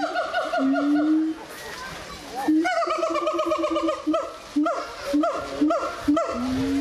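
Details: Singing gibbons at the Zoo de Doué la Fontaine, 2010: a long rising hoot, then a chain of short clipped whoops with strong overtones, repeated roughly every half second, ending in another rising note.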